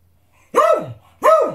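A Beagle gives two loud, rough barks that rise then fall, demanding its dinner.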